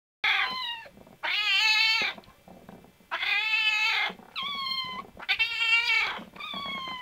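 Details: Cat meowing indoors, five drawn-out harmonic meows, some rising then falling, each about half a second to a second long with short quiet gaps between.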